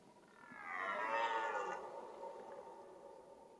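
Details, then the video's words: Red deer roaring during the rut, the mating season: one hoarse, harmonic bellow that swells over about a second, then fades into a lower drawn-out groan, in a quiet natural setting. "Red Deer Rut"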